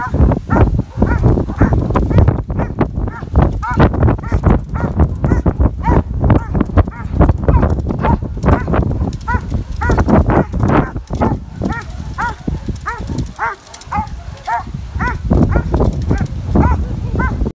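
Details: Belgian Malinois during no-equipment civil agitation orientation, delivering steady strings of sharp barks, roughly two per second, with constant low thumping and rumbling noise from handling and movement.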